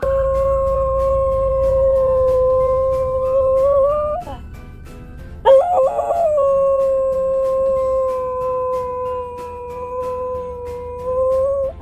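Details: Guinness, a once-stray dog who howls at every passing ambulance, gives a long, steady, mid-pitched howl that lifts slightly at its end, pauses, then starts again with a wavering break before settling into a second held, even tone; faint siren wail behind.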